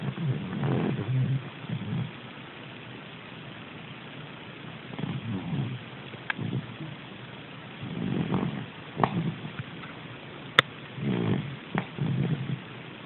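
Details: A dreaming dog snores in low, breathy rumbles, clustered in short runs separated by calm pauses, with a couple of sharp faint clicks in the background.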